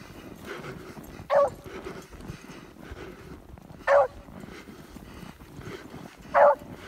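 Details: Old female beagle baying after catching the scent of a fox; three short, clear, rising yelping bays about every two and a half seconds over steady background rumble.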